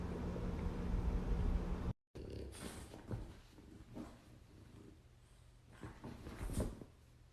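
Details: Female dog angry as her brother tries to play with her, giving a low, rumbling growl for the first two seconds, followed by softer scuffles and short bursts of movement indoors.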